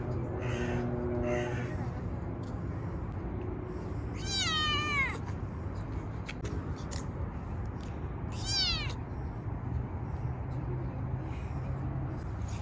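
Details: Stray kitten living in a park, being petted after being fed; two loud high descending meows with rich harmonics around four and eight and a half seconds, after two softer calls at the start, over steady low outdoor rumble.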